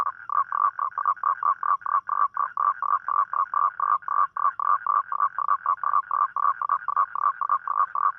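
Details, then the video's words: Mate-seeking call of a toad at night, typical of rainy nights: a rapid, steady pulsed croaking of about four short notes each second, continuing throughout with little else audible. "เสียงร้องคางคกตอนกลางคืน | The Sound Of Toad At Night"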